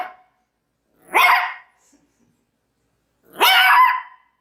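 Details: Two loud, harsh barks from a Maltese dog, a couple of seconds apart, each about half a second long and noisy, with quiet between them.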